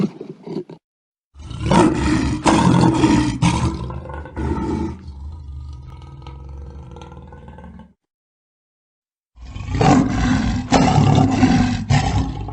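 A lion gives deep, rumbling roars in two long, loud bouts separated by a short silence.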